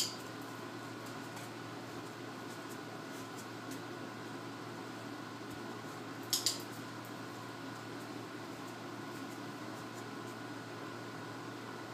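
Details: Quiet indoor hum with a steady low drone and one brief clatter near the middle; no barking, growling or other animal voice.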